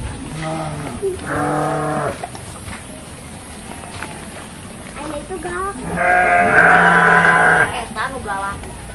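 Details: Garut sheep at a breeding farm in Dangiang, Cilawu, Garut, West Java, Indonesia, at a ram-fighting gathering: two separate bleats, a shorter one early and a longer, louder, tremulous one later, with crowd noise between.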